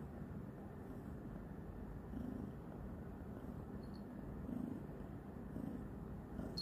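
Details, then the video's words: Newly adopted female kitten purring loudly while licking and biting her owner's hand, a steady low rumbling purr with slight rhythmic swells every second or so, over quiet room noise. "THIS CAT LOUD PURRING WILL CURE DEPRESSION!"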